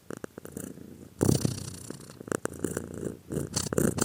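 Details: Cat purring close up, a short burst of deep, buzzing rumble that jumps suddenly louder after a quiet start, with rough, rapid pulsing and airy breath noise on each cycle.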